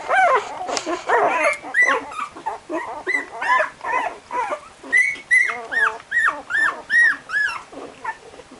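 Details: Barbet pups aged 12 days whine repeatedly in search of mummy before nursing: strong, evenly spaced rising-falling squeals, overlapping voices of several puppies, roughly two or more cries each second.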